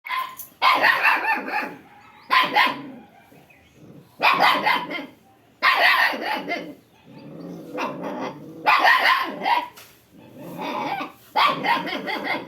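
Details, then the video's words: A dog barking in a village in Odisha, India, giving loud, broad bursts of barks in groups about every one and a half to two seconds, with short pauses between bouts. "cute dog is barking"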